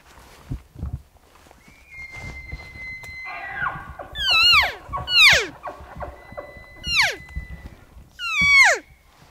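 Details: Bull elk bugling on a ridge between two basins during an archery hunt on 7 September 2018, answering hunters' calls. A steady flat whistle comes first, then four high, sharply falling whistled notes with grunting undertones at irregular intervals, over faint rustling.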